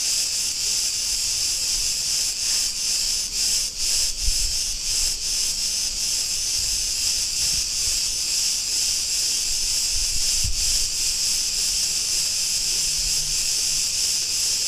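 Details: Chorus of Cretan cicadas in a street in Ierapetra, Crete, Greece: a dense, continuous high buzzing hiss, steady in loudness throughout with faint brief pulsing dips, and a low rumble of street noise underneath.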